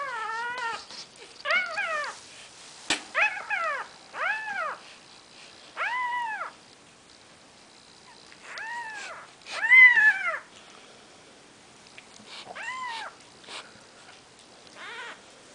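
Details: Maine Coon kittens on their fourth day of life, several young calling in turn: high, thin arched mews, each about half a second, in irregular bursts with brief pauses, some overlapping, with faint clicks between.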